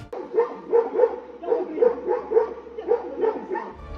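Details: A dog confronts a lunging bear, refusing to back down and barking until the bear leaves, protecting its owner; rapid, repeated barks, roughly ten in four seconds, each short and punchy over faint background hum.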